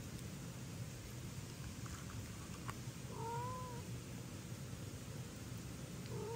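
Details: Cat in a home where kittens Ginny and Leo get pate and daddy cat protests; soft clicks and rustles, then one drawn-out, slightly falling meow, and a second meow beginning at the end, over low steady hum.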